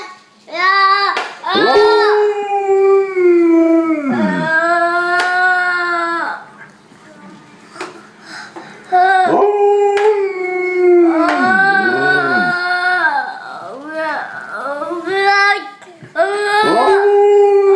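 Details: Two pet dogs howl together indoors in long wavering tones that rise and dip, broken by short yips and pauses, with howls overlapping; a man speaks briefly in the background.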